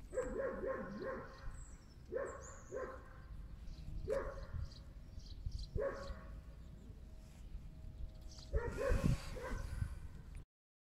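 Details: Stray puppy found in a box on the way home from the supermarket, with two more puppies hiding in nearby bushes. Short, high, tonal yelps come in clustered bouts about every two seconds, then a burst of rustling handling noise near the end.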